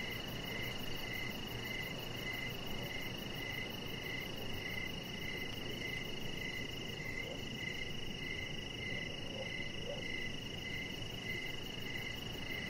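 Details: Crickets singing in the evening near a deck. Bright, short chirps pulse regularly at a high pitch above a steady shrill tone, backed by a low, even wash of outdoor noise.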